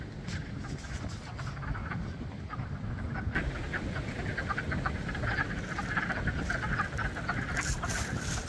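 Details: A spring frog chorus at Blue Cliff: many croaks overlapping in a rapid, irregular stream, the texture thickening after the first few seconds, with a constant low wind-like rumble underneath.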